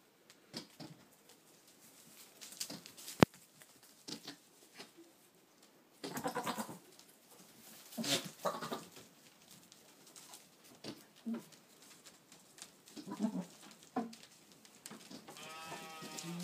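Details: Boer buck on a farm calling to goats, recorded 22 October 2013; scattered low grunting bleats and snorts with a clear wavering harmonic bleat near the end, clicks and handling noise between calls.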